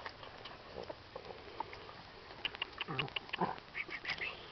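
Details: Shetland Sheepdog puppies, 26 days old, born 25 August 2008, at a breeding kennel in Simeri Crichi, Catanzaro province, Calabria, Italy; short high squeaky whimpers in a quick cluster near the end, with a person talking and handling noise.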